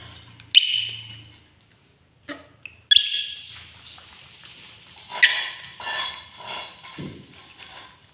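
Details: Angry pet monkey giving harsh, shrill screeches in three main bursts, each a broad rasping cry that fades over about a second, with short quieter squeaks between them.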